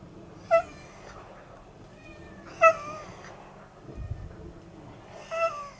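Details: Friendly unneutered red tabby tomcat, expanding his territory, on the day he is trapped for neutering in Japan: three loud harmonic meows about two seconds apart, each short and slightly falling, with a brief low thump between.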